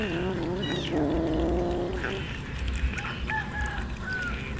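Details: Poor street cats, hungry and eating raw fish, let out a wavering, drawn-out meow lasting about two seconds, followed by faint higher tones among scattered clatter and background noise.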